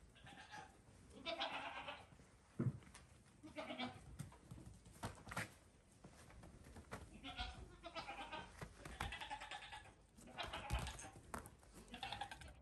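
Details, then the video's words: Baby goat kids about five days old playing on a farm while their mother is ready for bed; several short wavering bleats recur through the clip amid rustling and footfalls. "Baby Goats Just Want to Play"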